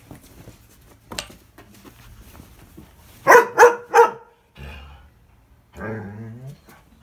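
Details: A fostered Greyhound cross dog indoors in a small room, helping make the bed. Three sharp, loud barks in quick succession come about three seconds in, followed by soft rustling and a short low voice-like sound from a person.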